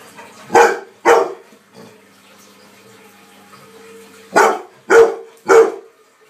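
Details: Ten-month-old Labrador Retriever, scared of and angry at a running washing machine, barks indoors: two sharp, loud barks, a pause, then three more in quick succession about half a second apart, over the machine's steady low hum.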